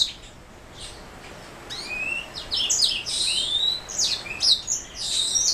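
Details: After a near-silent start, a black throat mule (canary hybrid) begins singing: a rising whistle, then bright trills and rapid chirping phrases that grow busier toward the end.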